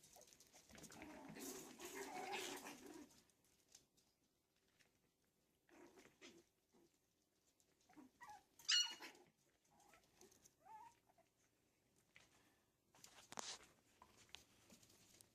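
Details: Yorkshire Terrier puppies playing give thin, high squeaks and short yips between bouts of scuffling.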